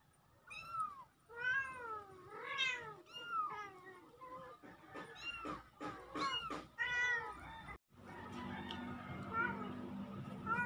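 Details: A pair of kittens filmed on October 17, 2024, mewing in a quick run of arched, wavering cries for about eight seconds, several overlapping, before a steady hiss of noise takes over with a few fainter meows.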